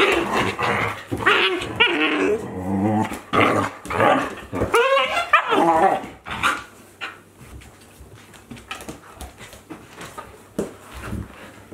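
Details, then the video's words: Playing Akita Inu, a 14-month-old with a 2-month-old puppy, mixing rough growls and high yelping whines for about six seconds before the play sounds fade into quieter scuffles and breaths. "Akita Inu | Playing Sounds"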